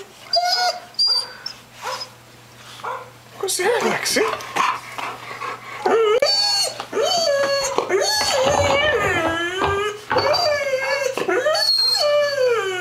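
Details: Puppy aged ten months barking at on-screen dogs: human talking and scattered noises open the passage, then continuous warbling, rising-and-falling howled barks dominate the second half.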